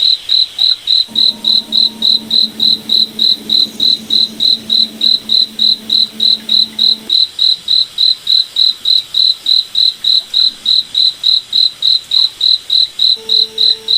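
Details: Forest at night with a cricket repeating short, high, clean chirps at a steady beat of about three and a half per second. A faint low hum runs through the first half and briefly returns at the end.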